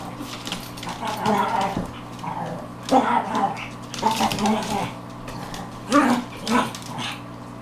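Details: Four female Pekingese playing hard and loud indoors, one a Maltese Pekingese mix; rough growling and squeaky yips mixed with a person talking.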